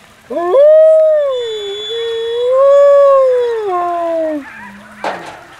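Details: Male wolf, alpha of the main pack, taking the lead in a final group howl at a howl night with a crowd, rain falling; one long, clear, loud howl rising sharply, swelling and wavering, then dropping low before a brief thump.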